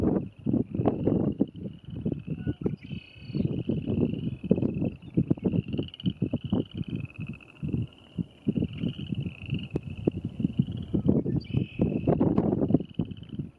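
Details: A chorus of Western chorus frogs at the Paint Mines, Calhan, Colorado, 27 April 2019, giving overlapping rapid pulsed trills that rise slightly in pitch, with heavy low gusting noise underneath.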